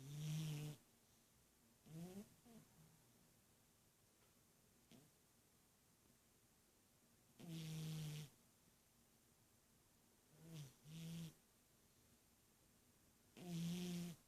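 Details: A sleeping domestic cat snoring like an old man: four loud low rasping breaths spaced several seconds apart, each rumbling with a deep throaty tone, separated by quiet stretches of soft background hiss.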